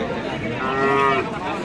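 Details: Friesian milk cow at Ambari market in Bangladesh giving a short harmonic moo, swelling then fading within half a second, with crowd chatter behind.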